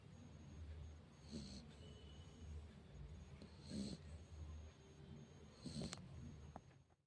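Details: A Rottweiler sleeping sprawled in a lap snores softly, with low rumbling breaths about every two seconds.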